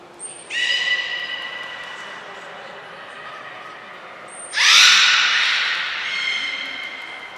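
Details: Belugas during a training session with the whole group taking part at Port of Nagoya Public Aquarium, 2 April 2023: a sustained, harmonic, nasal tone holds steady, a brief high whistle cuts in, then a loud rising buzzy squeal swells and fades in a large echoing hall.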